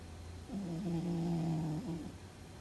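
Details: Sleeping house cat named Fuzzy, seemingly dreaming, lets out a single loud, low, buzzing snore of about one and a half seconds, with small pitch wobbles at the beginning and end, against quiet indoor background.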